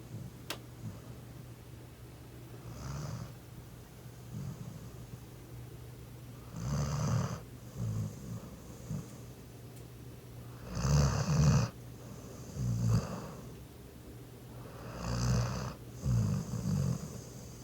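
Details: Laboon, a pet Labrador Retriever, snores while asleep after lots of play. Indoors, low rumbling snore breaths come every few seconds in uneven bursts, each with a breathy hiss. The room is otherwise quiet.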